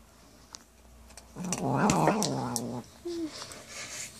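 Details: Pet cat Buddy growling over his cat food, protective when petted: a voiced, undulating grumble of about one and a half seconds, then a short higher squeak-like note and soft indoor clicks.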